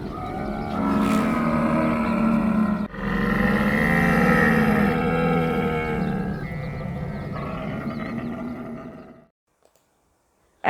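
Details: Camel grunting, the sound named رغاء in Arabic: a sustained low, throaty, bubbling roar. It pauses briefly near the third second, resumes at full strength, then tails off into silence after about nine seconds, with a faint click at the end.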